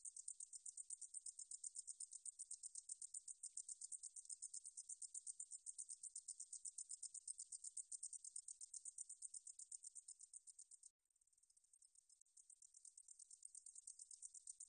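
A meadow katydid sings a high, dry buzz of rapid pulses, steady and unbroken for long stretches.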